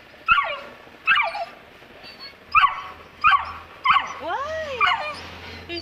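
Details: Saint Bernard puppy Turkey, two months old, scared at the top of the stairs, lets out about six sharp yelping barks roughly a second apart, ending in an arching whine, while a woman coaxes it.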